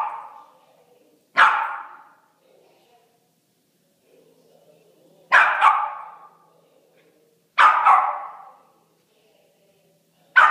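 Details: Playful puppies give four sharp, noisy barks spaced roughly two to three seconds apart, each a short harsh burst followed by a fading tail, with quiet gaps between.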